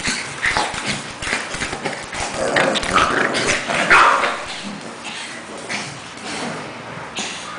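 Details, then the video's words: Play fight between Cash the Pekingese and Lebron, a two-month-old English Bulldog puppy; irregular throaty growls and snarling bursts come quickly, about two a second, then taper off, with scuffling noises underneath. "Pekingese English Bulldog Fight Round 1"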